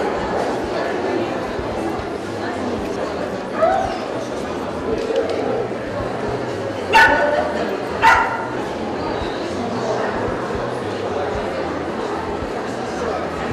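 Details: At a Kyiv dog gathering in 2015, an American Staffordshire Terrier lets out a soft early yap, then two loud abrupt barks a second apart, surrounded by continuous murmuring voices of people.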